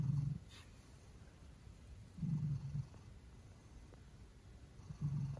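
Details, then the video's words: Loud snoring from a pet Maine Coon cat, three low, throaty rumbles at about two-second intervals, each short and rough, separated by near-silence with a faint background hiss. "Maine Coon Snoring LOUDLY!"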